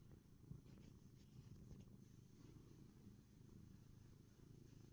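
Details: Continuous low purring from Ronnie, a contented black cat, a pulsing throaty rumble sustained for the whole stretch, with one soft bump near the start.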